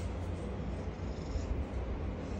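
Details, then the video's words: Aggressive Rottweiler growling in rage at its owner, a low, continuous rough rumble with a man's voice speaking Hindi just before and after. "Aggressive Rottweiler Bubzee Talking To His Father In Rage"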